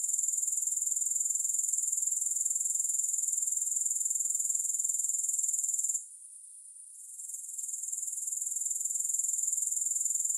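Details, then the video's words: Grasshoppers with no music added: a steady, very high-pitched shrill trill pulsing about three times a second. It drops out suddenly for about a second, then fades back in to full strength. "Grass Hopper Sounds"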